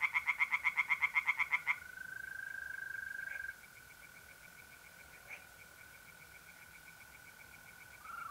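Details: Night in April in north-eastern Italy: loud, rapid rasping pulses from tree frogs for under two seconds, then a steady mole cricket trill with faint distant frog pulses behind it.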